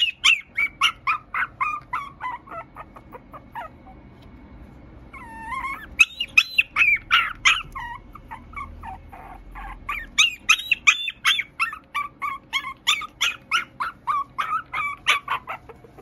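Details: Teacup Poodle and Maltese mix dog giving rapid high-pitched whines and yelps, in bursts of many short tonal cries several per second, with pauses near four and eleven seconds; a faint low hum in the background.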